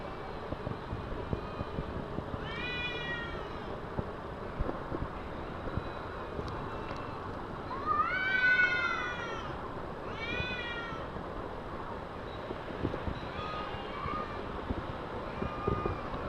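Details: Two cats fighting in a car park: repeated drawn-out harmonic yowls, rising and falling, the loudest near 8 seconds, with clusters of wails between, over constant low background rumble.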